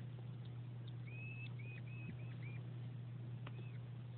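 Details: Male hedgehog Winston courting the female Delilah before breeding, giving plaintive squeaks: a quick run of five short, high, flat whistled squeaks, then a pause and one more squeak, over a steady low mechanical hum.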